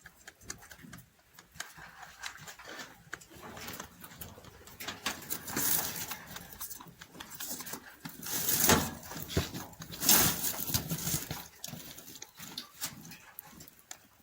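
A rabbit crunches hay, a quick, dry crackling patter of small bites close to the ear.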